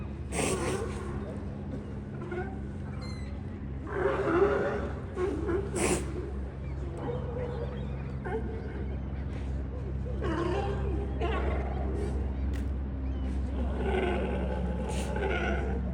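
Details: Sea lions hauled out at Pier 39 in San Francisco, with several short, sharp, broadband snorting sneezes bursting out around the crowd, over steady low rumble of waves and pier noise, with people chatting nearby.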